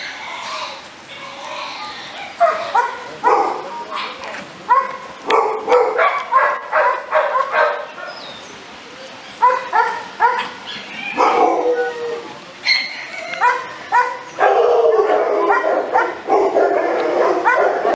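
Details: A pit bull-type American Staffordshire Terrier yaps in uneven volleys of sharp, high barks and yips, starting hesitantly, then settling into quick runs with short quiet gaps between them.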